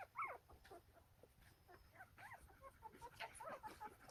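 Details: Litter of nine newborn Golden Retriever puppies, one day old, in Nampyeong-eup, Naju, Korea; a sharp rising squeal opens, then overlapping thin whines and squeaks from several pups continue over low rustling.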